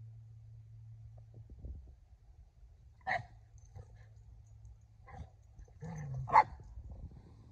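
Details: Sully, a Boston Terrier, barking to beg Kumo the Keeshond to play, jumping and doing silly moves; a few sharp single barks, the loudest near the end, over a steady low hum and softer thuds.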